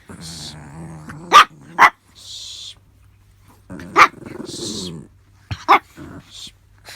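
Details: Pet Chihuahua, a small dog, indoors trying to get past a cardboard wall to reach another dog, recorded before a June 2018 injury: four sharp, high barks spaced unevenly over several seconds, with low growly rumbles and brief rustling between them.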